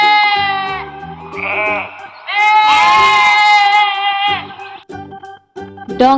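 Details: Farm sheep bleating during a children's animal-names lesson: a brief bleat, then a long, quavering, harmonic-rich bleat lasting about two seconds, set against light instrumental music with a spoken word at the close.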